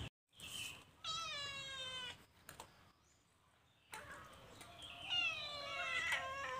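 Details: Caged calico kitten stealing food: one long wavering meow, a quiet gap, then a second drawn-out meow mixed with rustling and scraping noises.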